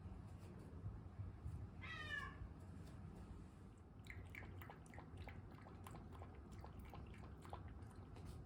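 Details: House cat waiting for its meal after demanding food. A single wavering meow sounds, then a long run of quick, light clicking noises fills the rest.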